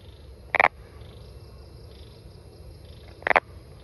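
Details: Brown frog calling in nature: two short, harsh, rattling croaks about three seconds apart over a quiet background hiss.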